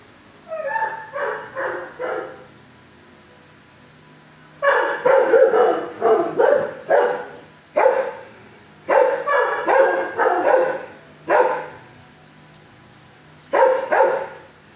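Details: Adult shelter dog, six years old, barking from its kennel at a person before a calm neighbouring dog shows it to settle: short clustered bouts of sharp, ringing barks separated by brief silences, roughly two barks a second within each burst.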